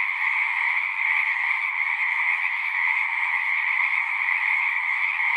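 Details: Steady massed frog song, countless overlapping high trills blending into one bright drone above a softer lower band, sustained evenly from start to end.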